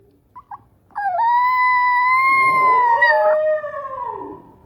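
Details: Small Chihuahua, which learned to howl from a Husky brother, giving a clear sustained howl: a sudden rise into a long steady wailing tone that slowly climbs, then slides down and trails off, after two faint short yips.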